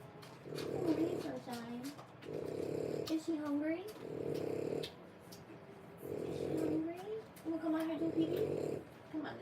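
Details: Three-week-old French Bulldog puppies, born 1/10/25, give short curving squeaky whimpers over a steady rhythmic low rumble that swells and fades about every second, like heavy breathing or snoring, indoors.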